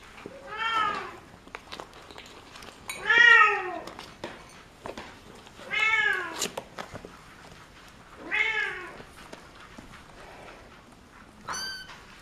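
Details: Domestic cat meowing indoors: four drawn-out, arching meows spaced about two and a half seconds apart, each rich in stacked harmonics, followed by a short high squeak near the end, with a quiet room behind.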